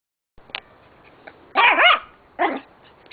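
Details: Norfolk Terrier giving two sharp, high-pitched barks about a second apart, the first slightly longer and wavering, after a few faint clicks in an otherwise quiet setting.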